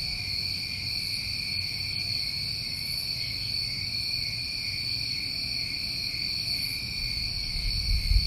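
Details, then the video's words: Summer night chorus of New England crickets: continuous high-pitched ringing trills stacked in bands, steady throughout, with a soft low background murmur and a slight bump in low noise near the end. "Over 1 Hour Of Tinnitus Masking With Crickets"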